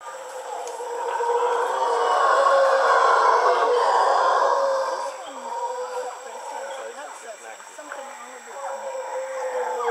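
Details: Mantled howler monkeys in Panama: a swelling roar in a broad low band that builds to a peak around two to four seconds, eases off, then rises again in rough, grating waves.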